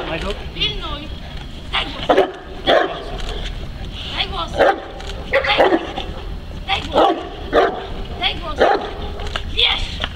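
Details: Neapolitan Mastiff named Kuba, a working dog protecting his owner from multiple agitators, gives loud deep barks in short bursts about once a second, mixed with shouting human voices throughout.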